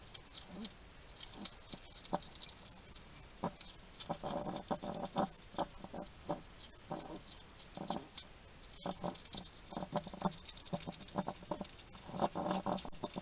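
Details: Wild hedgehog at a garden feeding station in Somerset, UK, chattering to itself while it eats: bursts of smacking, snuffling chewing noises, some in quick runs, others spaced a second or more apart, with faint background hiss.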